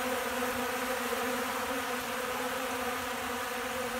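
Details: Hungry honey bees in Central Alabama feed on cracked corn from a hand and pack it into their pollen sacks. A steady, fairly soft droning hum holds a low buzzing pitch with fainter overtones throughout.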